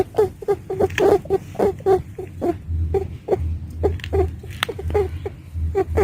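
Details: A female domestic rabbit squeaks in short bursts, bunched early and then sparser with gaps, as 'ii iii' sounds. A low humming drone comes and goes.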